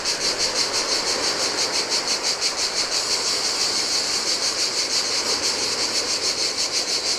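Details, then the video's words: On a deserted Greek island beach by the Adriatic, cicadas sing in the heat: a shrill, rhythmically throbbing drone, roughly three beats a second, layered over a constant rush of breaking waves. "Cicadas by the Sea - Ocean Waves & Cicada Sounds"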